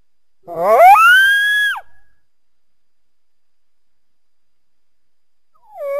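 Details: On a winter day, a coyote calls through trees near a backyard. One clear howl climbs quickly from a low start to a sustained high note, then drops off sharply. A second howl begins at the end.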